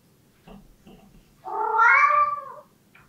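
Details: Pet cat giving a pleading meow it makes about once a day, especially in front of closed doors: a few faint soft sounds, then one drawn-out nasal wavering meow of about a second, rising then falling away, in a quiet room.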